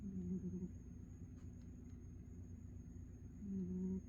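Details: Sleeping cat Ninjan snores softly: one low, buzzy breath at the start and another about three seconds later, with near silence between them apart from a faint constant electrical hum.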